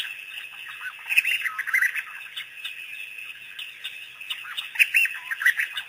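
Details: A pack of African wild dogs, or painted dogs, on their first visit to Pete's Pond after researchers released them in the area on April 5, 2008. High squeaky chirps and twitters come in bursts over a steady shrill insect-like hiss.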